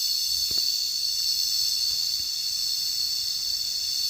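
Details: Cicadas keep up a sustained high shrill buzz at constant strength, with a couple of faint knocks early on beneath the insect drone.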